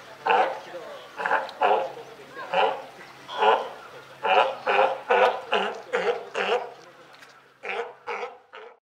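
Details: Captive California sea lions, a mother and her just-born pup, at Higashiyama Zoo in Japan on 28 June 2023: rough, bleating barks repeated roughly once a second in a steady series, with a brief pause near the end.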